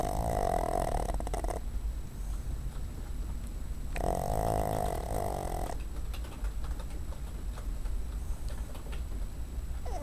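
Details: Cuddles, a female pet dog resting on a desk, makes two grating snore breaths early on, then goes quiet, leaving faint room noise and a few soft clicks.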